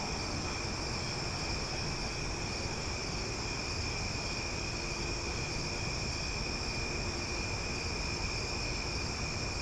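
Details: Cicadas singing loudly one night in Omaha, a continuous shrill ringing drone held at a constant level, layered over a steady low hum of background noise.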